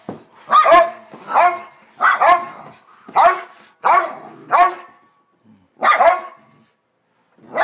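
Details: Two dogs, Bronner and Bella, barking up a storm at home; sharp, raspy barks come in pairs about once a second, then a pause before more barking resumes.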